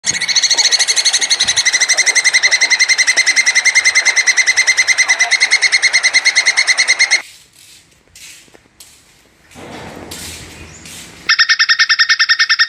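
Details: Plantain squirrel giving its mating call: a long, fast chatter of harmonic clicks, about three per second and very even, for seven seconds. After a quiet break with faint rustling, the same rapid chatter starts again.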